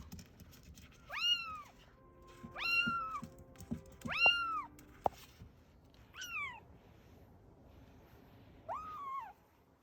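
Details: Kitten meows from Ame-chan, a rescued kitten aged roughly three to seven weeks, from Osaka: five clear, bending mews with rise-and-fall contours, mixed with soft clicks and brief knocking sounds indoors.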